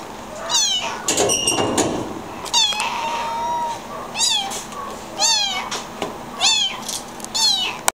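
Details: Tiny tan kitten, too young and needing his mother, calls loudly and insistently: high, sharply arched meows repeated roughly once a second, one longer drawn-out cry, with faint clatter in the background.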